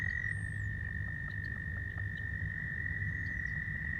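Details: Male American toads at a pond in spring call to attract females, giving a loud, steady, high musical trill that runs on without a break.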